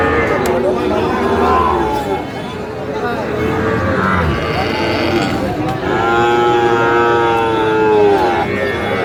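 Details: At a cattle market where a Kushtia farmer buys Sahiwal bull calves, scattered moos rise out of the noise, with a strong long low call near the end over people talking.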